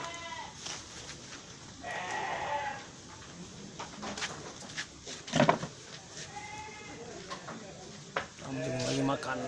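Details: Dairy Etawa goats in Aceh Tamiang, Indonesia, giving a few short wavering bleats with a nasal, harmonic tone, spaced several seconds apart, over low background chatter and occasional knocks.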